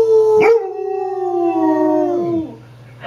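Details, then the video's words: Pet dog howling along with a baby girl and her dad, who are teaching it to howl: one long, sustained, tonal wail that slowly slides downward and fades over about two seconds, with a low steady hum underneath. "Baby And Daddy Teach Dog To Howl"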